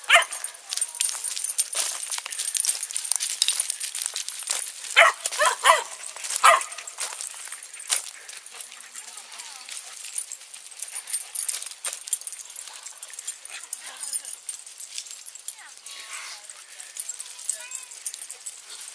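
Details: St. Bernard puppies, brothers, with a very large dog at an outdoor dog run, squabbling over a hole; short sharp barks and yips burst out in a cluster midway, with people talking nearby.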